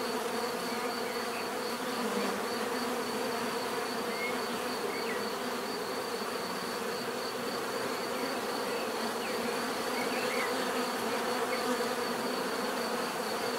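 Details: Many bees fill the air with a dense, steady buzzing hum, a continuous drone layered with a faint high whine that stays even throughout, with a few brief chirps from other birds in the background.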